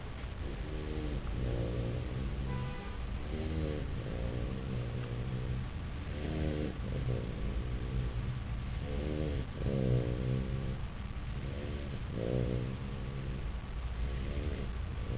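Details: Puppy named Chester snoring in deep sleep on his bed, a run of nasal, buzzy harmonic snores repeating every one to two seconds over a constant low hum.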